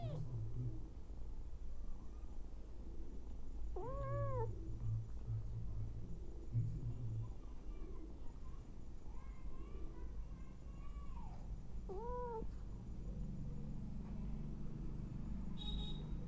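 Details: Nursing mother cat feeding hungry abandoned kittens; several short, clear meows with rising-then-falling pitch, two stronger ones about eight seconds apart and softer ones in between, over a steady low rumbling background.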